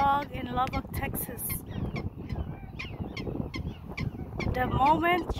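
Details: Prairie dog in Lubbock, Texas, calling the moment someone gets near: harmonic, chirpy barks in a quick burst at the start and again near the end, over rough low rumbling and scattered clicks.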